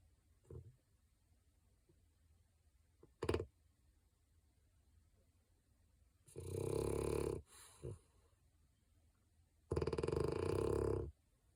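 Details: Sleeping French bulldog named Digger gives loud, rough snores in a small quiet room, two long rasping breaths roughly three seconds apart, preceded by a few short snuffles and snorts.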